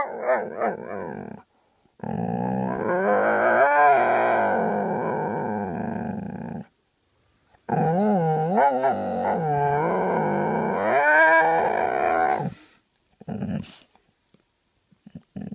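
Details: Grumpy Vizsla lying in bed, voicing long, loud, warbling groan-growls with rising and falling howl-like bends. Several drawn-out bursts last a few seconds each and are separated by short silences, with shorter grumbles near the end.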